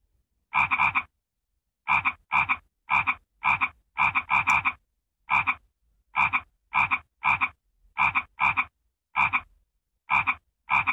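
A frog gives loud, harsh croaks in short bursts, repeated about every half second to second.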